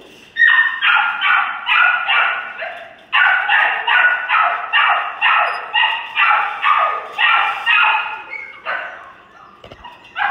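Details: A litter of rescue puppies yapping steadily, sharp high barks repeated about twice a second in long runs, several voices overlapping, ending with a brief pause and one last yip.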